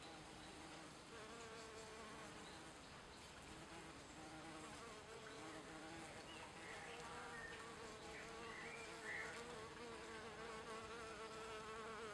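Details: Western honey bees (Apis mellifera), drinking nectar and collecting pollen on dandelions in Leiden, Netherlands, on 28 April 2014, hum steadily in a low droning buzz that wavers as they move about.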